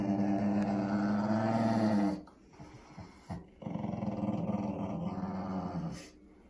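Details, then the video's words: Winston, a Shih Tzu/Pekingese dog who hates his bath, growls in a long, loud, rumbling pulse for two seconds, then quieter rough bursts and another sustained growl, indoors. "Shih Tzu/Pekingese Dog “Winston” Hates His Bath!!"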